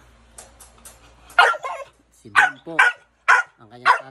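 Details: American Bully giving a run of five loud, rough barks about half a second apart, after some faint, softer sounds at the start.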